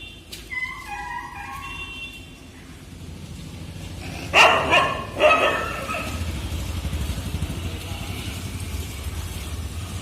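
A dog gives two sharp, loud barks against a steady low rumble of traffic.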